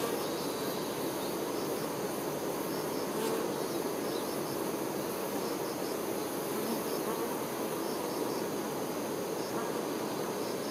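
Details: Worker honey bees tending the queen, giving a continuous low buzzing hum, while a cricket adds short, high chirps repeated roughly every second over the drone.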